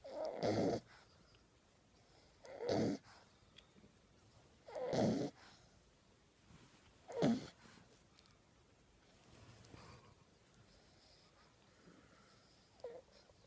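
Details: Jude, a sleeping 10-week-old French Bulldog puppy, snores steadily with his tongue sticking out. Rough, wheezy breaths come roughly every two seconds, four strong ones and then softer, fading snores, in a quiet small room.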